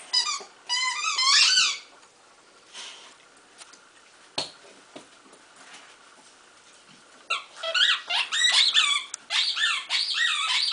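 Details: Bulldog named Duke indoors, offered a pile of new toys to pick a favourite; high, wavering whiny squeaks come in a rapid burst at the start, then a longer run of bent, rising-and-falling whimpers near the end, with quiet handling noise between.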